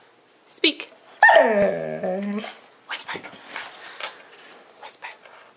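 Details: Domestic dog singing on command for a Christmas recording: one drawn-out, wavering, harmonic howl that slides down in pitch over about a second and a half, while a person repeatedly says "speak" and "whisper" before and after.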